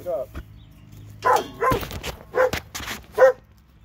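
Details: Two dogs in Alabama give short, separate barks and yelps at uneven gaps, each a brief, punchy burst.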